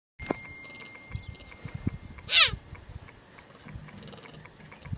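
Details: A cheetah in a zoo in India gives a single short, high, rising call, bright and almost bird-like, over faint background clatter.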